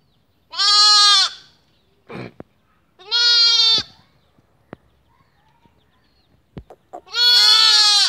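Young sheep bleat three times, each call high, nasal and quavering, held for about a second. Between the cries come faint clicks and light shuffling.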